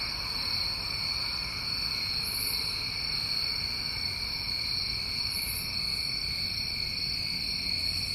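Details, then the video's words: Summertime crickets in New England form a steady, unbroken high trilling chorus on two pitches. Soft brief higher buzzes return about every three seconds over a faint low rumble. "Over 1 Hour Of Tinnitus Masking With Crickets"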